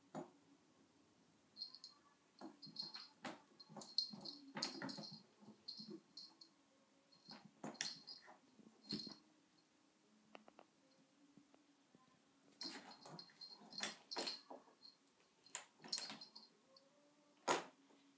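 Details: Pet dog Sona indoors near the vacuum's electric cable: repeated short high whines and squeaks come in uneven bursts over several seconds, mixed with sharp clicks and light scraping in a quiet small room.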